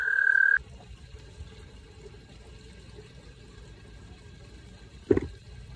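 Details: American toad (Anaxyrus americanus), breeding trill: breeding call.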